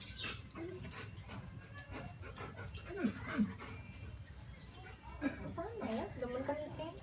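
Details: Alaskan Malamute Molly during mating, giving short rising whines around the third second, then a wavering run of higher whimpers later on, over steady low rumbling background noise.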